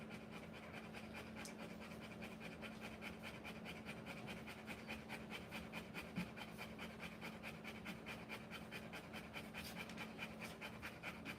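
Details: Rottweiler mother giving birth to puppies, panting fast and steadily, about two quick breaths each second, with a breathy rasp that keeps up without pause through the whole stretch, with a low steady hum behind it.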